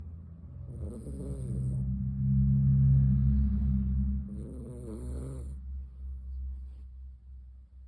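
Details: Helen, a Miniature Dachshund, snores while asleep: a low, rough droning breath that swells for several seconds and then slowly fades, with a fainter wheezy rasp on each breath.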